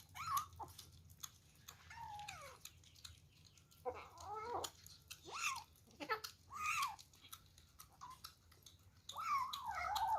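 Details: Several short, bent meows, some high and some sharp, come in quick bursts from kittens fighting over food during their very first meal, over a faint low hum in a small room.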